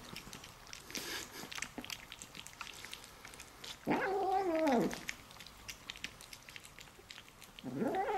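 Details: A female Bengal-mix kitten eating her favourite food lets out a drawn, wavering meow, almost like "yum-yum", that rises and falls between soft chewing clicks.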